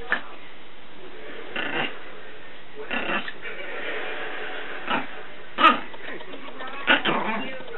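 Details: Paco, an 8-month-old Chihuahua puppy indoors, running around the house in a crazy, goofy play frenzy, gives short rough grunting and snorting bursts roughly every one to two seconds, with a steady background hiss.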